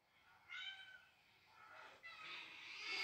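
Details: Domestic cat indoors reacting to cat calls, defending her home territory against unknown felines; a clear harmonic meow rises briefly near half a second, followed by breathy, noisy high-pitched sounds building toward the end.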